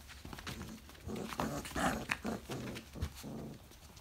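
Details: Briard puppies 4.5 weeks old, indoors, giving a quick run of short, rough, harmonic yelps and growly grunts, about six bursts packed into under three seconds, with faint room noise between them.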